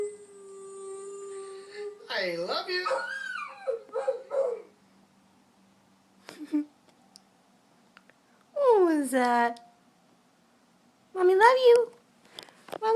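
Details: A pet puppy howling in several short bursts: a wavering, bending cry near the start, then two brief rising howls after long gaps, with a steady background hum and some human voice mixed in.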